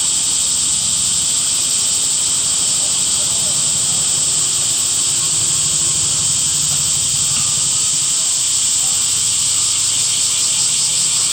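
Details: Cicadas singing in summer greenery: a constant, hissing high whine carries over a low rumble, like distant traffic, underneath.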